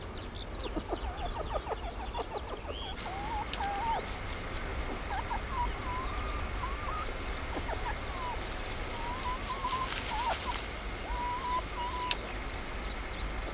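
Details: Female red fox calling to her cubs with soft, quiet whining: thin, wavering mid-pitched whines in short bouts, some bending up and down, over a steady low background rumble and hiss.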